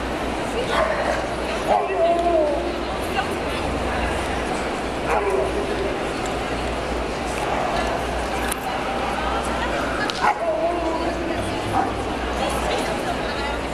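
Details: An Alaskan Malamute at an international dog show in Riga, Latvia, on 9 June 2012 talks in short, wavering woo sounds that slide up and down every couple of seconds, over steady hiss and possible human voices.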